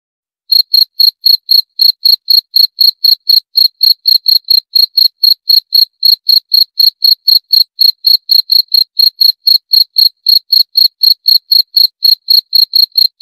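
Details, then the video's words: After a brief silent start, a cricket keeps up a rapid, regular chirp, around four bright pulses every second, sustained without pause over a quiet, empty background. "17 Menit Suara Jangkrik - 17 Minutes Cricket Sound Effect"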